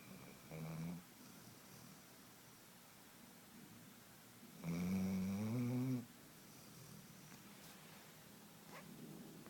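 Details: Sleeping female dog, said to sound like an old man, snoring indoors: two low, rough, rumbling snores, a short one near the start and a longer drawn-out one midway, with quiet breathing between.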